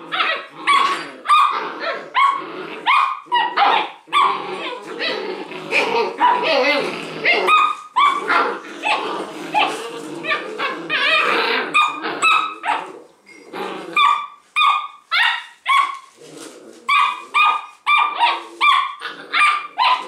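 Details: Thirteen six-week-old Leonberger puppies at play around a tug-of-war toy, a steady stream of high puppy barks and yelps, repeated in quick bursts, with a person's voice briefly.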